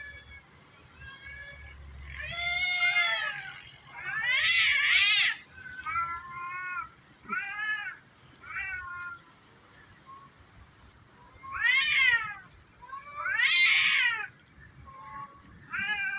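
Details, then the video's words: Black and white cats confronting each other up a tree, one backing away; a series of drawn, wavering caterwauls and shorter descending moans, loud bursts around every one to two seconds, then a pause before two more strong yowls. "Two cats are fighting on top of a tree, making a loud meowing noise. They're just threatening"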